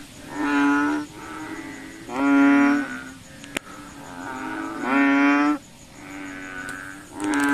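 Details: Night chorus of frogs out looking for mosquitoes: drawn-out, lowing, strongly tonal calls come roughly every one to two seconds, two or more animals alternating and overlapping, a faint continuous high buzz in the background.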